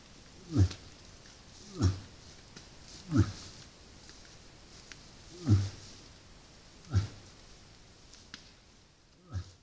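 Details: Moose at a salt lick during the rut, captured by a trail camera: deep, short grunts repeated about every one and a half seconds, each a low guttural 'ugh' over faint background hiss.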